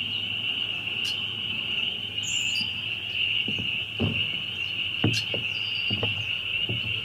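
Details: Loud chorus of many spring peepers, their shrill high peeps merging into one unbroken ringing band, with scattered low knocks and thumps nearby.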